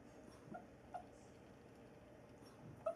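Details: A sleeping dog talks in its sleep with a few faint, short, squeaky whimpers, spaced irregularly, over a quiet indoor hiss.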